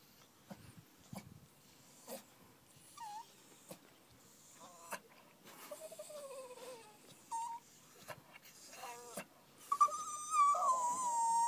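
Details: Female 10-month-old Staffordshire Bull Terrier sooking while tied up, which she hates: short scattered whimpers and sliding whines, thin and nasal, building to a longer, louder falling whine near the end, with clicks and rustles between.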